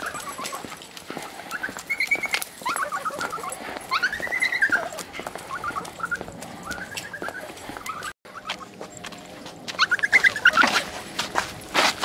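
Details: Golden Retriever awaiting adoption, giving a string of high, arched whines and short whimpers, some bending up then down, amid frequent clicks, taps and shuffling noises.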